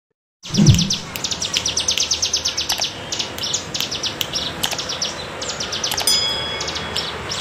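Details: Bren cigun cicada in the wavy bergelombang style, kept as tutor sound for songbirds: dense rapid trains of buzzy high pulses that swell and fade repeatedly, with a faint low thump at the start.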